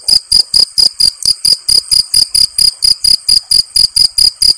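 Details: Field cricket, known locally as jangkrik genggong, chirping in steady pulses about twice a second, each a shrill high buzzy chirp with a clear ringing tone.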